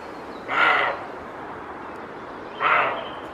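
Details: A male roe deer (Capreolus capreolus), alerted by a slight noise behind him to a stranger in his territory, gives two hoarse, gruff barks about two seconds apart, warning the intruder off his territory.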